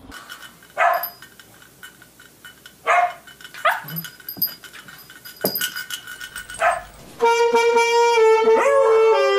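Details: A dog gives a series of short, sharp barks at uneven intervals, some single and some in quick pairs. Loud music then starts and covers the final seconds.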